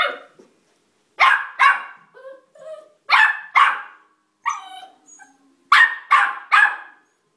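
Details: Domestic dog stuck on the stairs, able to go up but not down, barking in quick bursts of two or three harsh barks while someone calls encouragement.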